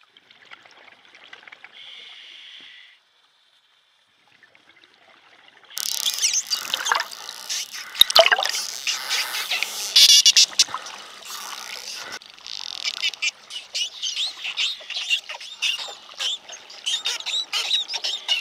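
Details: Friendly wild spotted dolphins in a pod in the Bahamas. A thin, high whistle first, then a short hush. After that come dense bursts of crackling clicks and buzzes, with quick whistles weaving through and a steady underwater fizz.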